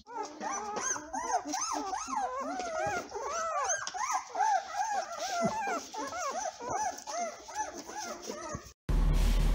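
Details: Litter of German Shorthaired Pointer puppies, days old with eyes not yet open. Dense, overlapping high whimpers and squeals rise and fall continuously and tumble over one another, cut off by an abrupt loud burst of noise near the end.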